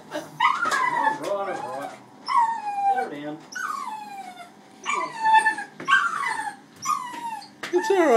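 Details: Maltese cross dog protesting his first hydrobath, crying in long, drawn-out whines that slide downward, several bursts in quick succession, with the hum of bath equipment and a woman speaking softly nearby.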